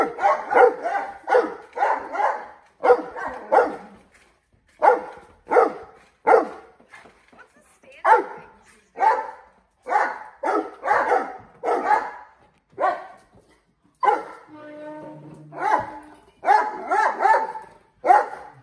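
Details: Mastiffs playing with balloons, barking in quick bursts of short, harsh, throaty barks, often in tight runs of three or four, with brief gaps between volleys and a short muffled rustle near the end.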